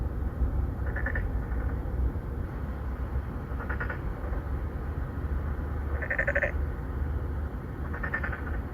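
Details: Three or four Korean narrow-mouthed frogs (maengkkongi), an endangered species, courting females in an apartment-complex pond in Songdo, Incheon, South Korea, recorded on a Galaxy Note9 in 2019; short nasal pulsed croaks, four calls about two seconds apart, over a steady low hum.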